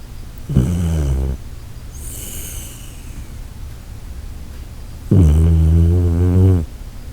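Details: Sleeping Shiba Inu Koharu lets out deep, droning snores likened to the Titanic setting sail: two long, horn-like tonal rumbles with strong layered overtones, about four seconds apart, separated by quiet breathing and a faint high hiss.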